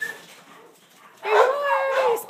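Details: A Kuvasz dog available for adoption gives a drawn-out, tonal whine lasting about a second, steady then slightly falling, after a short faint yelp; quiet room otherwise.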